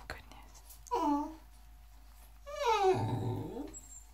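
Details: Boxer mix pup, an English Bulldog, Boxer and Pug cross named Lucy, wanting into the tub while her owner bathes indoors; two falling whiny cries, the second longer and sliding down into a rough low groan.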